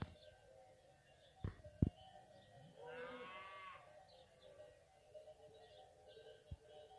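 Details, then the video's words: Fighting bulls (ganado bravo) while eating: a single short harmonic moo near the middle, set among a few sharp knocks and a constant low rumble of background noise. "ganado bravo toros comiendo"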